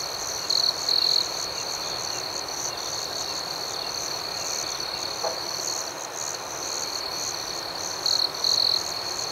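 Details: A nighttime outdoor chorus of crickets, a constant high pulsing shimmer. A closer cricket adds short, brighter bursts of trilling near the start and again near the end.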